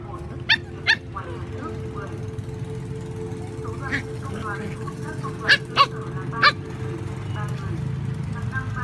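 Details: Little dogs and big dogs fighting for food, with sharp barks: two early, then a cluster of three later, each abrupt and loud, between short whiny yelps, with a steady tonal hum and voices underneath.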